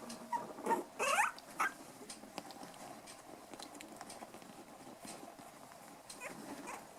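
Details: Five-week-old black toy poodle puppies and white dwarf and toy poodle puppies at play; a few short, high, whiny yelps and squeaks in the first two seconds, then soft scuffling patter and faint squeaks.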